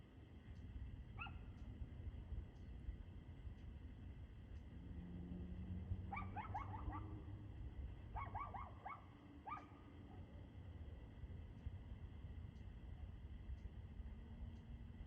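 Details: Barking dog recorded 2/6/2024 at 6:02 pm: a single bark, then bursts of rapid barks in quick succession midway through, over continuous low-pitched rumble and faint ticking.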